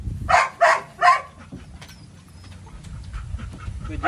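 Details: Three quick, loud barks from Psycho the Belgian Malinois open the clip, spaced under half a second apart. Near silence follows, with faint rustling and a last soft bark starting at the very end.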